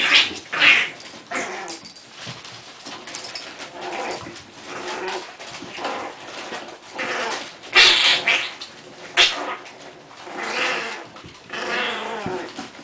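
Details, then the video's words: English Bulldog puppies, four of them, playing with the adult Kona, who referees their play fights; scuffling with short growls and squeaky whimpers amid bursts of rustling and thumping. "English Bulldogs Puppies - 4 Puppies play, Kona referees fights"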